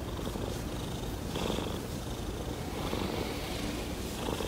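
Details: Daisy, a pet cat wanting to drink water, purring steadily indoors: a continuous low rumbling throb with soft rhythmic pulses, a faint breathy hiss riding over it, no other clear sounds.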